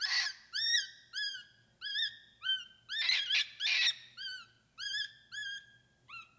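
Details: Capuchin monkey producing a series of clear arched whistles, each rising then dipping, repeated roughly twice a second, with a couple of rougher overlapping calls midway.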